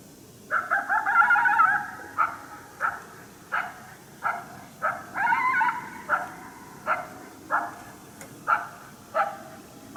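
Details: Coyote, unseen, barking in protest at a person's presence during a hunt at St-Andrews on 1 March 2019: a series of short, harsh yapping barks with a few drawn-out howling yelps, spaced about every second.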